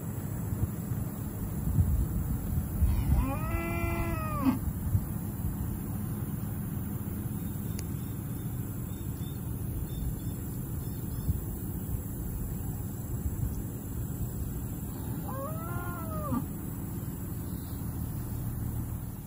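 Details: Pasture-raised, grass-fed Dexter cattle being moved to a new paddock during rotational grazing: two drawn-out, harmonic moos, the first near the start and the second about twelve seconds later, over a steady low rumble of wind.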